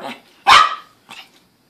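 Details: Female pet Chihuahua demanding Pringles chips from its eating owner, giving a single loud, sharp yapping bark, then a fainter short follow-up yip, amid a person's questioning voice.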